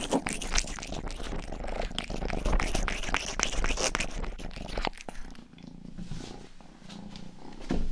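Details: Domestic cat named Rang-i, the youngest of the household's cats, purring and licking close to the microphone indoors for an ASMR recording; dense rapid wet licking clicks over a low continuous purr rumble, quieter purring alone in the final seconds.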